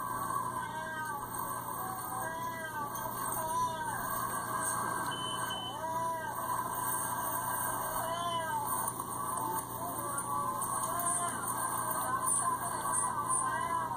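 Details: Hermy, a gentle but sassy pet cat, complains loudly on a trip to the vet: a series of drawn-out, arching meows that rise and fall, repeated every second or two over steady background hiss.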